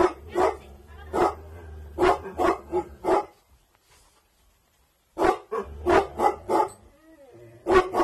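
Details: Bhotia dog of an aggressive bloodline guarding at night, giving loud, harsh barks in a quick run of about six, then falling silent for roughly two seconds before another burst of barking.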